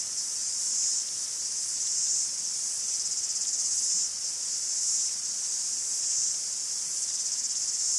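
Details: Cicadas in a forest in Greece: a dense, steady, high-pitched buzzing chorus that swells and eases in soft waves about once a second, with no other clear sounds.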